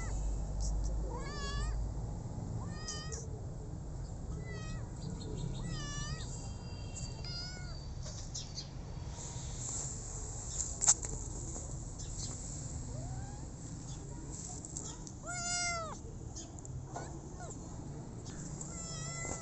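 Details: Meows of a rescued street kitten: short bent cries in bursts, a few longer drawn-out mews, with gaps of several seconds and a low constant hum underneath.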